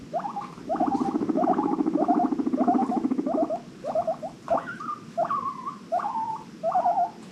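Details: Guinea pig from a rescued herd of five in Los Angeles wheeking happily: a low pulsed purr gives way to a series of short rising squeaks, then longer whistled wheeks, each about half a second apart.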